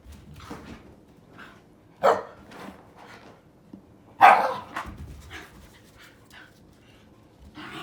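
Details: Two Shiba Inu play fighting indoors, older sister Komame aged one year eleven months against a three-month-old puppy, never biting in earnest; two loud, sharp bark bursts near two and four seconds, between softer scuffles and short yips.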